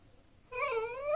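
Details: A Pembroke Welsh Corgi puppy indoors, trying to get its owners' attention while they eat dinner, gives a single rising nasal whine with clear harmonics lasting about half a second.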